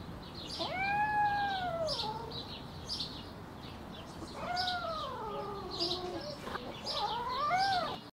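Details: Cats during mating: three long, wavering yowls, each rising then sagging in pitch over one to two seconds, the last more warbling, over steady background hiss.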